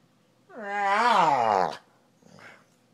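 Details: A dog decompressing on the couch after the day gives one drawn-out, harmonic moaning vocalization lasting about a second, rising then falling in pitch. A faint, brief second sound follows in a quiet indoor setting.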